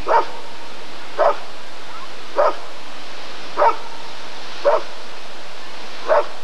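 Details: Deep single barks from a Rottweiler during the 1994 ADRK Körung breed survey, six in a row roughly once per second, each short and gruff, with low background hum.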